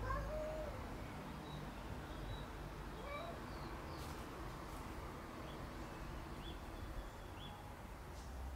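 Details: Domestic cats active at night: one short, wavering meow at the start, followed by a few faint, brief chirp-like calls over a low, steady background hum.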